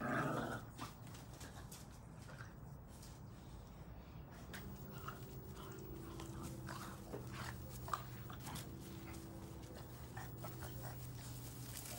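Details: Red Boston Terrier puppies playing tug of war over a chew ring, growling playfully while having fun; a low, steady rumbling growl runs through the second half, mixed with scuffling, clicks and small thumps of play indoors.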